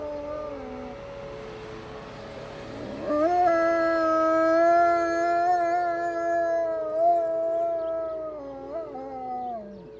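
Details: Chatty wolves on a deck on a snowy Monday morning: low overlapping howls, then a rising swoop into a strong sustained howl with slight wavers, ending in a falling slide.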